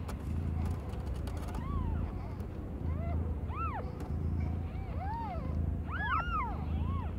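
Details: While young cat Aimee gives birth to five kittens of different colours, thin arched mews grow more frequent, clustering and overlapping near the end, over a low rumbling hum and a few sharp taps.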